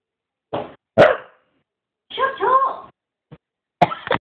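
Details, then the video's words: Complaining Scottish Terrier 'talks' over absent biscuits: short sharp yaps, then a wavering, bending moan with clear harmonics, a tiny click, and a closing rough yowl. "talking scottie dog"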